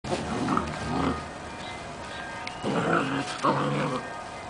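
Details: Playing Giant Schnauzer puppies give rough, throaty growling bursts in two spells.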